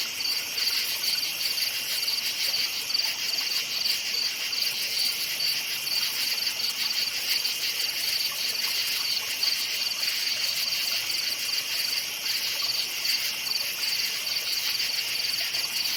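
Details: Crickets in a forest at night chirp steadily in a dense, high-pitched chorus with a continuous shimmering trill.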